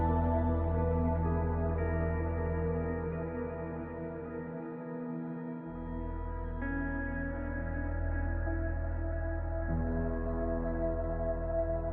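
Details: Sustained ambient organ music with layered held chords that shift every few seconds and a brief drop in the bass, with no animal sound.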